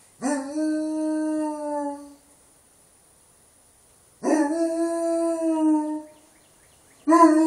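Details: English Mastiff at a ranch howling: loud, steady harmonic howls about two seconds long, starting with a quick upward slide then holding level, repeated three times with silent gaps between.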